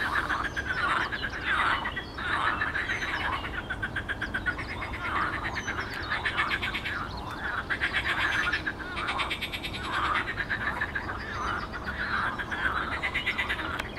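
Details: Pond frogs recorded on 12 May 2022, many voices merging into a continuous rattling, pulsed croaking chorus that swells and fades in waves, with occasional high bird notes in the background.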